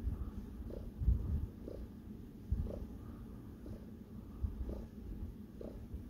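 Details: Domestic cat named Sparkles purring while kneading, a low continuous rumble with soft rhythmic pulses and a few louder thumps, recorded indoors.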